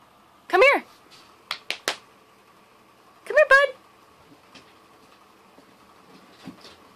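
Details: Corgi giving two short, wavering, whiny yelps with strong harmonics, one early and another about three seconds later, separated by a few sharp clicks in an otherwise quiet indoor setting.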